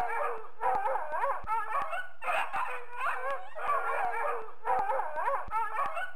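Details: A dog barks very loudly in repeated bursts of harmonic, yelping barks with a slightly howling quality. Short gaps separate the bursts throughout.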